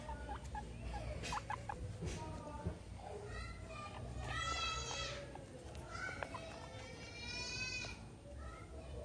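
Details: Pet guinea pigs Meadow and Sandstorm at playtime indoors, surrounded by a soccer ball and an American football: two bursts of shrill, rising squeals with stacked harmonics, each lasting about a second, over murmured speech and room noise.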